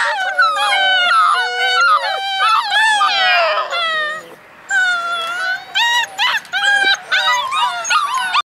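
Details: Litter of eight Alaskan Malamute puppies, born February 2013, howling in a chorus of quavering, sliding whines and yodels that overlap, then break into shorter separate howls with brief pauses toward the end.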